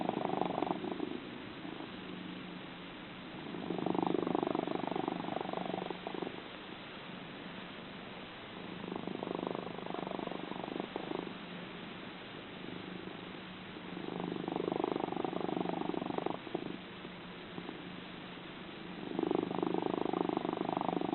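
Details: Sleeping domestic cat, described as one of the loudest snorers, purring and snoring indoors: loud rumbling bursts lasting about two to three seconds, each followed by a quieter pause, repeating roughly every five seconds.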